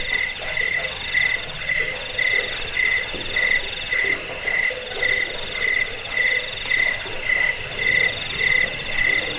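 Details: Cricket chorus from a looped track meant for driving off rats, lulling to sleep and tutoring songbirds: short bright chirps repeated about twice a second over a steady shimmering trill, with a higher pulsed line running alongside.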